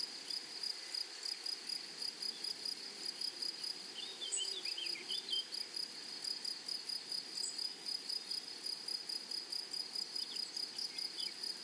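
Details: Grasshoppers in a flowery meadow: a shrill, steady sizzling trill broken into regular short pulses, with a few faint chirps from another creature in the background.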